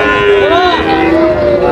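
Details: Sahiwal and Friesian bull calves for sale at a Munshiganj cattle market, Bangladesh, on July 24; a short bellowing moo with a rising then falling tone, other calves overlapping, market voices beneath.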